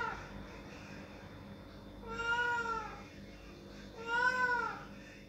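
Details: A cat wanting the door opened meows twice, with the second cry louder. Both calls bend upward and then fall, heard against a low, steady background hum.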